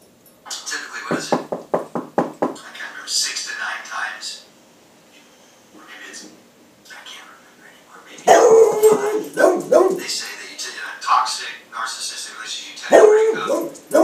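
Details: A 13-year-old beagle barking and howling indoors at a knock on a table he mistakes for a knock at the door; rapid sharp barks, then drawn-out baying yowls, with a person talking in between.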